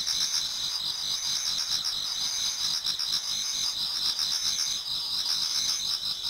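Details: Many autumn insects singing together toward dawn in a Japanese garden: dense high chirping bands layered over one another, a steady shimmering trill with fast pulses, continuous without pause.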